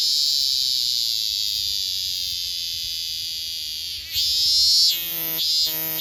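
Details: Robust cicada, or minminzemi: a sustained shrill whine lasting four seconds, then a sweeping louder surge followed by a short pulsing note as the song begins its repeated phrase.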